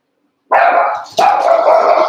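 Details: Two loud, sustained yelping barks from Cavalier King Charles Spaniel puppies during play, as Daisy's litter of six joins Robin's two remaining pups. The second bark follows the first after a brief dip, both harsh and mid-pitched.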